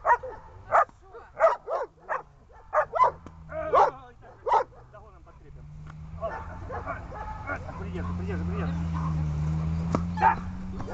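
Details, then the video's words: Dog beginning bark training gives a burst of about eight sharp barks in the first five seconds, then a quieter stretch with a low steady engine-like hum and faint voices. "Глемми . облайка . начало обучения"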